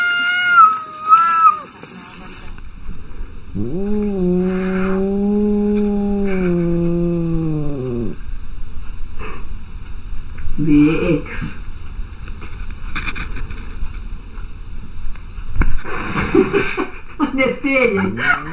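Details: Cats quarrelling: a short high yowl, then a long deep moaning growl that swells and fades over four seconds, followed by scattered short wavering cries and a steady low background hum.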